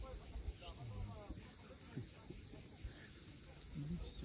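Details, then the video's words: At sunset above the sea at Cape Fiolent, Crimea, cicadas keep up a dense, even, sizzling buzz, while brief low warbling tones and soft surf sounds come and go below. "Cicadas at sunset."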